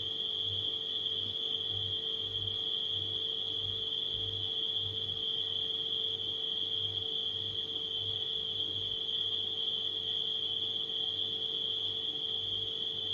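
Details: Nighttime crickets form a steady, unbroken high-pitched trilling chorus, blended with the constant low electrical hum of a household refrigerator that pulses faintly underneath.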